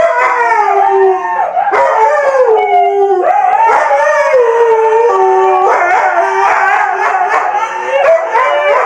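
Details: Siberian Husky giving a sustained howl. Tones rise and fall and bend between pitches, with several short breaks and quicker, choppier vocal bursts toward the end.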